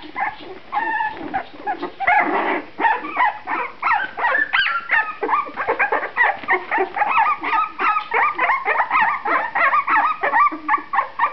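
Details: Two-and-a-half-week-old puppies from one litter, eyes now open and starting to move about: dense, continuous squeaking and whining from several pups, short cries tumbling over each other for over ten seconds.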